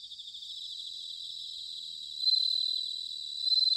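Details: In Sanuki, Chiba, Japan, an autumn bell cricket chorus trills steadily at a high pitch until one near insect breaks in with a loud, clear ringing phrase, then starts another at the very end.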